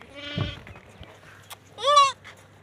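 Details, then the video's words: Hungry goat kids searching for milk, licking a finger: two loud wavering bleats, a short nasal one early and a stronger rising-then-falling cry near the end, with faint background hum. "beautiful goat 🐐 kids are hungry ! they are searching for milk 🍼"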